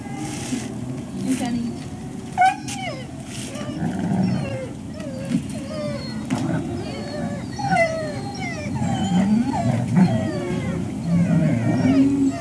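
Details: Several service dogs, among them Sage, Basil, River, Oakley, Sunny, Bumble, June and Lily, wait one on one for breakfast in Ipswich, Massachusetts, October 2017; a steady stream of wavering, bending whines grows louder toward the end over a low hum.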